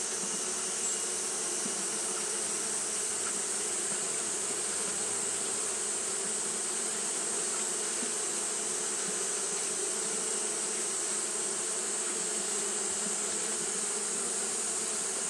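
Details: On a hot day, Japanese honey bees keep fanning without stopping; a long, unvarying hum of many wings with a low droning band and a persistent high-pitched hiss over it.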